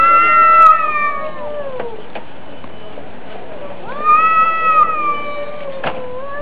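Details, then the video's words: Domestic cats in a fight trade two long, quavering howls. The first slides gradually downward and the second rises, then holds steady, with a faint background hiss. "Драка Котов. Кот против Кота"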